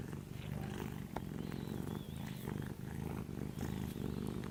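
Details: Small orange kitten purring while asleep, a steady low rumbling throb pulsing continuously throughout, with faint rustling and soft background noise above it.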